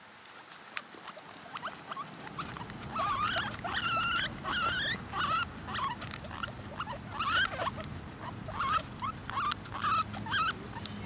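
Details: Guinea pigs eating apple, possibly squabbling over the food, give short, high, rising squeaks in quick runs over crisp clicking chewing sounds.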